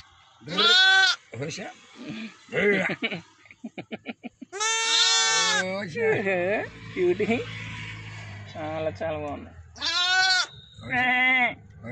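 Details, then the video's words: One-day-born lambs on a village farm calling with loud, high, strained bleats alternating with lower quavering cries, irregularly spaced over twelve seconds, with a low hum in the background. "Baby Sheeps real sounds |goats | Lambs |mana village animals |1day born lambs|"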